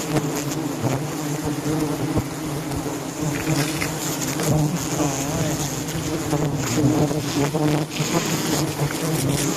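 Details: Giant honey bees swarming during a harvest of giant honey bee hives in Phayao, Thailand; a dense, continuous low buzzing hum with steady droning bands, mixed with rustling and a faint voice.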